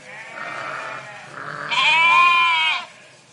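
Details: Sheep from a flock in a park: a softer nasal bleat followed by a louder, higher, wavering bleat lasting about a second before stopping abruptly.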